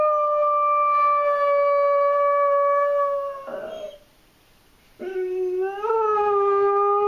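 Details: Abby, a German Shorthaired Pointer with separation anxiety, gives a loud, steady howl lasting over three seconds that breaks off, then after a pause rises into a second, lower wavering howl.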